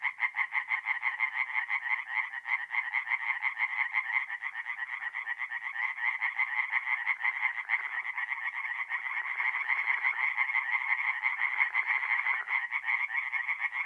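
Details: Night chorus of singing tree frogs at a forest pond in north-east Italy in mid-April: many overlapping rapid, rasping croaks repeated about three per second, forming an unbroken, loud wall of sound.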